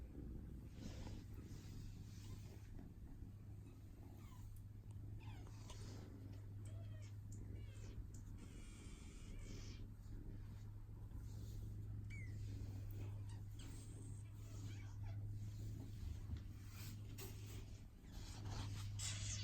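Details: RagaMuffin kitten, silver natural mink and white, purring steadily indoors in a continuous low rumble, with scattered rustling, handling sounds and brief higher noises as it is petted and offered play.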